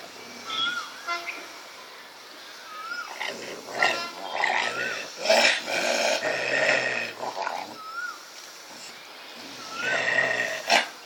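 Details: A cocker spaniel barks and growls in harsh bursts while fighting a street dog.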